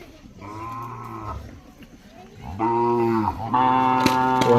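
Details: Young Mysore/Khillar calves aged five to eight months, tethered in a row in Maharashtra, give three drawn-out low moos, the later two louder and closer together, over faint background chatter.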